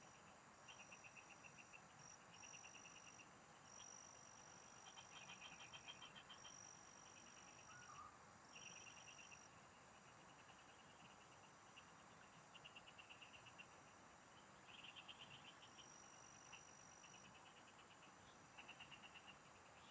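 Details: Frogs singing in the fields, heard while fishing: bursts of rapid, pulsed trills, each lasting about half a second to a second and repeated throughout. A steady high whine runs beneath, with constant background hiss.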